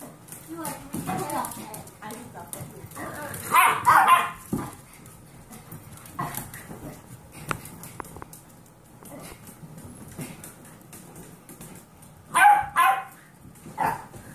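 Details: Dog in a household of foster dogs, an 8-year-old Pomeranian with 8-week-old Golden Retriever mix puppies; short, sharp barks burst out around the fourth second and again near the twelfth, with people talking throughout.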